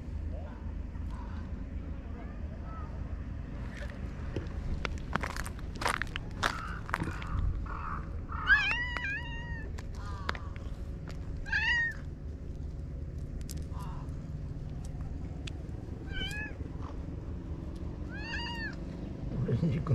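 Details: Stray cats relaxing together in a Japanese park at dusk; several short, wavering meows come irregularly in the second half, among sharp tapping and rustling clicks and a person's low voice.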